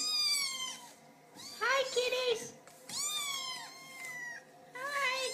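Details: Several kittens trying to get their owners' attention, meowing repeatedly in overlapping high, bright cries that rise then fall, with a soft voice talking to the kittens between the calls.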